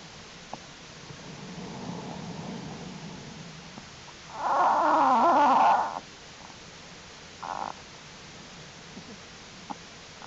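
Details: Black bear cubs of Jewel in a winter den during unusually warm January weather, crawling about; a soft low murmur, then a loud wavering squall of over a second, followed by a short bleat.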